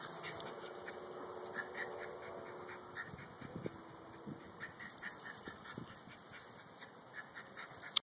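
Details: Poodles: a drawn-out, thin tonal whine holds for about three seconds, then gives way to scattered short taps and clicks over a steady high background hiss.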